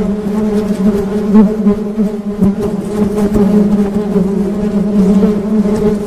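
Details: Honey bees buzzing in a steady low drone, a strong hum carrying layered overtones above it, unbroken for six seconds with slight swells in loudness and occasional faint clicks.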